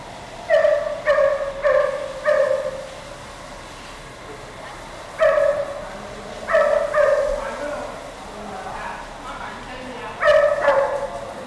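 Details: Smoke Rumble, a female greyhound rescued from the Canidrome in Macau and now in foster care, gives clear tonal yelps. There is a quick cluster of four, then scattered single and paired notes separated by quiet pauses, over a faint background hiss.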